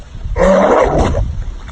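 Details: A pet dog producing an odd self-made voice that leaves its owner confused: one loud, drawn-out, moaning roar-like sound lasting under a second, then quiet room background.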